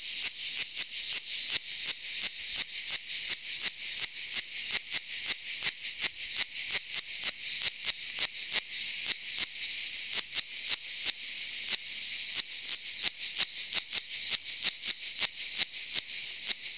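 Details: Cicada filmed on Saint Eutrope hill in Orange, Vaucluse, France, on 15 July 2018: a loud, continuous buzzing rasp pulsing rhythmically about three times per second, with sharp clicks throughout and nothing else audible.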